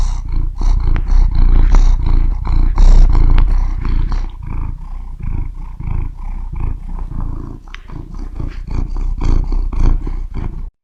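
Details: Cat purring close up, a heavy low rumble beating about three to four times a second, loud at first and easing slightly toward the end.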